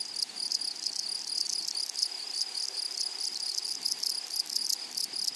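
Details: Grasshoppers calling in a flowery meadow: a constant piercing high tone with brief rasping pulse bursts recurring every half second or so over a soft low hiss.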